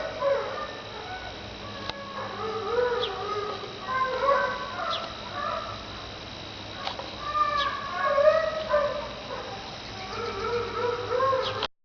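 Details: Dog producing strange vocal noises indoors, a string of short wavering whines and moans in bursts every second or two, some rising and falling, separated by brief pauses, with faint clicks in the background.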